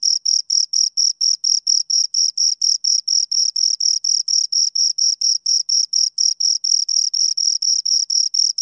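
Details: Two crickets chirping: a steady train of shrill, high-pitched pulses, roughly four per second, evenly spaced and sustained without pause, against an otherwise silent background.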